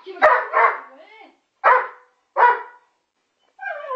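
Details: A Working Springer Spaniel at a window barks at a pigeon: four sharp, mid-pitched barks spaced about three-quarters of a second apart, the first two running together, then a brief whine.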